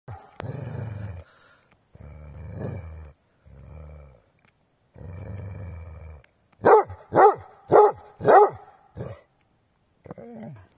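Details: An angry Basset Hound outdoors in snow in winter gives several low, rumbling growls, then a burst of four loud, sharp barks in quick succession, followed by a softer bark.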